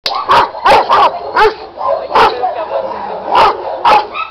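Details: An 8-month-old Giant Schnauzer puppy gives a run of sharp, mid-pitched barks in quick succession.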